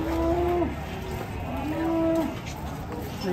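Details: Cattle at a cattle market lowing twice, each moo a steady, low, drawn-out note of about half a second that dips at its end, with a pause between them and background chatter and crowd noise throughout.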